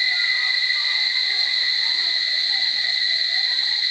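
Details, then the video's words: Chorus of cicadas at Barichara: a dense, steady, piercing buzz holding one even pitch with a higher shimmering layer. It shows no pauses, with soft scattered chirps far underneath. "Chicharras en Extasis a Punto de Estallar en Flor... Barichara"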